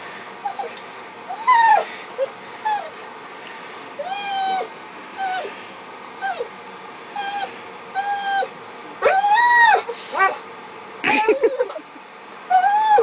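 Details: Pet dog begging for food while another dog waits: arched, rising-then-falling whines repeated roughly every second, breaking into a cluster of sharper, louder yelps near the end.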